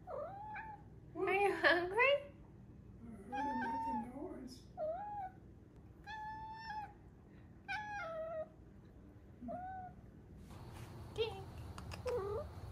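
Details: Five-month-old female Maine Coon kitten indoors making a chatty run of short meows and rolling trills, some rising then falling, about every second. A woman's voice joins in near the end.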